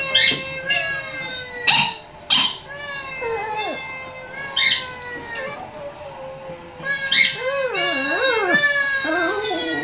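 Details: A female pet dog joins in with a playback of her own howling; a steady drawn-out howl runs beneath a few sharp yips, then bending, wavering howls rise and dip near the end.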